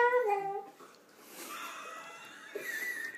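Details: A male Pembroke Welsh Corgi gives a wavering, falling whine that sounds like a sung "I love you," asked to say it for a jar of peanut butter.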